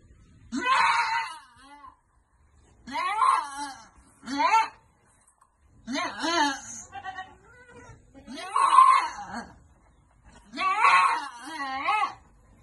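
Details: On a goat farm during vitamin dosing, a run of harsh, shaky, bleating cries comes in bursts every second or two, some strained and scream-like, with brief gaps between them.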